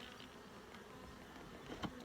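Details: Honey bees in an open hive during a full inspection for eggs, larvae and capped brood, giving a steady low droning hum layered with even overtones, and a sharp click near the end.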